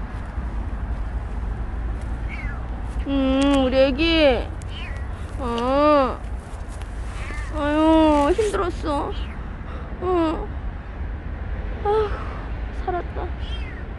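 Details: Rescued stray kitten Petit gives long, arching meows, several drawn-out cries with rich harmonics spaced a couple of seconds apart, a woman's gentle Korean voice and low traffic-like rumble underneath.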